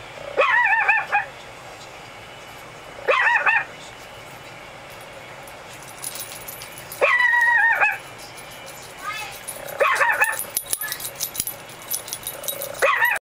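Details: Curious little female Pekingese named Lucy lets out drawn-out, wavering whining yelps in clusters every two to three seconds, with rustling and tapping noises between them.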